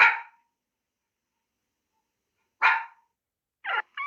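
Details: Two separate short dog barks with a long gap between, followed by a couple of brief higher, yelping notes at the end.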